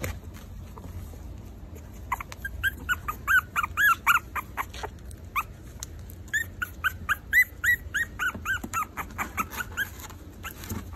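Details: Four-week-old Maltese puppies whimpering and squeaking in short, rising-falling high-pitched bursts, bunched in two rapid runs with brief pauses between, over a low steady background hum.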